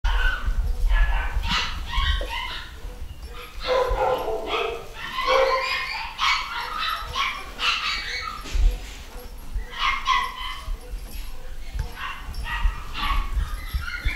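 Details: Pedigree Scottish Terrier puppies from a new litter in the UK, vaccinated and ready for new homes: a busy mix of high, short yips and whines from several pups, irregular throughout, with low thumps in the background.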